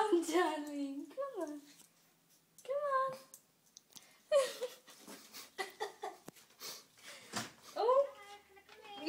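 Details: Tiger-Lilly, a pet cat, cries at the door wanting to be walked, then balks once in her harness; several drawn-out, wavering meows that rise then fall, interleaved with people talking and giggling indoors.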